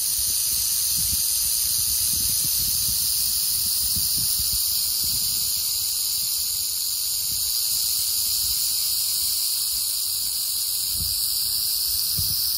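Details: Rattling prairie rattlesnake, Crotalus viridis, in western Oklahoma: an unbroken high, sizzling buzz sustained evenly throughout, with faint low rustles underneath.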